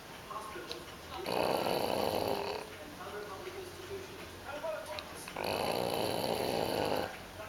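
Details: A sleeping English Bulldog puppy, after a busy day out with people, snores with loud, raspy rattles about every four seconds.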